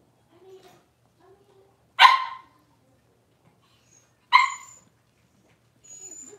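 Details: Six-week-old Cavalier King Charles Spaniel puppies in an indoor puppy pen, on the day they were dewormed and had toenails trimmed: two sharp, bright barks about two seconds apart, with faint soft whimpers between them in a quiet room.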